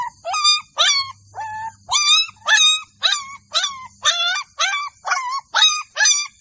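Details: Sharp, high yelps from Golden Labrador puppies in a village, evenly spaced about two each second, each call rising quickly then dropping, with a brief faint hum in the background.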